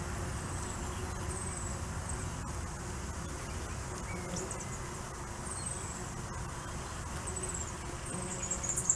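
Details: Stingless bees, Tetragonula sp., crowd a hive entrance at their busiest hour in Richmond, NSW, Australia, bringing in pollen and carrying away waste pellets; a steady low droning hum fills the scene, with faint high bird chirps above.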